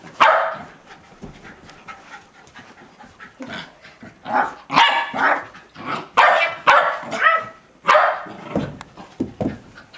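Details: A two-year-old male Jack Russell Terrier, playing energetically alongside a second terrier, recorded on 30 April 2009; rough, breathy bursts of panting mixed with short sharp yips arrive in uneven clusters, strongest between four and eight seconds.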